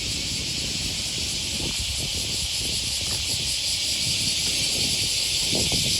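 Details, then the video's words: Cicadas calling on an August 2020 morning beside the Okawa River near Sakuranomiya Park, Osaka, Japan: a dense, unbroken high buzzing hiss fills the air, steady in loudness, over faint low footsteps and city rumble. "Walking along the river, with the voice of a cicada"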